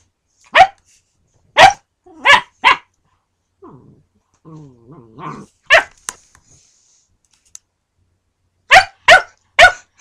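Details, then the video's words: Dakota, a young female German Shepherd puppy, barks at Bowser the husky during play, startling him: sharp high barks in irregular bursts of three, one, then three, with a soft wavering whine in between. "Husky afraid of puppy when she barks."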